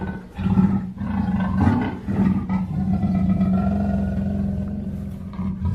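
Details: Black panther roaring in deep, rough bursts, layered over a steady low hum with thin sustained whining tones above.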